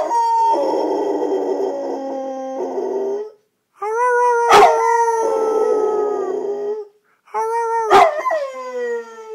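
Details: Thor, a red-nose pit bull kept as a pet, howls in three long drawn-out notes of about three seconds each, steady in pitch with a rough, wavering edge and brief gaps between.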